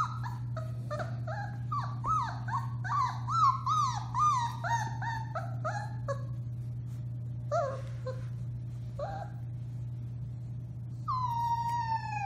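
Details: A 4-week-old litter of Alaskan Malamute puppies howls together in high, wavering, overlapping wails over a steady low hum, recorded March 30, 2021.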